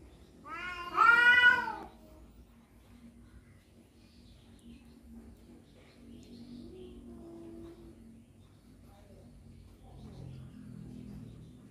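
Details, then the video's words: Cats quarrelling over a female: one loud, harmonic yowl near the start, bending up and down for about a second, followed by a long quiet stretch with faint low murmurs. "suara kucing berantem rebut janda"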